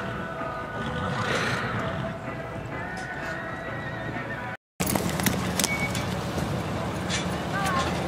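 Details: Horse at the Full House Elite Performance Stock Horse Sale rodeo in Newcastle, Wyoming, in June: a short harmonic whinny early on, set against steady arena rumble, hoofbeat clip-clop and shouted voices, with a brief silent gap midway.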